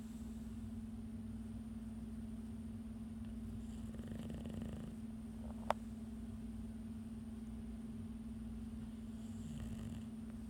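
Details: An English Bulldog struggling to stay awake after a hard day snores with low, rasping breaths over a steady droning hum.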